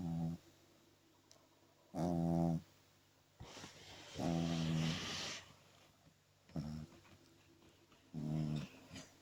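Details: Two-month-old French Bulldog puppy sleeping and snoring heartily, giving five harsh, buzzy, low snores of under a second each, spaced about two seconds apart, with quiet pauses between breaths.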